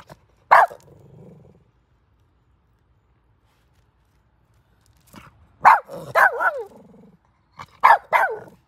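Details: A squirrel that visits a house every morning to play with the dog gives sharp, short barks, some trailing off into a falling whine.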